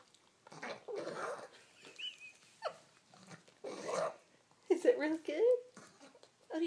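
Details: A male Boston Terrier makes odd, alien-like vocal sounds while eating indoors, short throaty grunts and whines in bursts, interspersed with a woman's speech praising him.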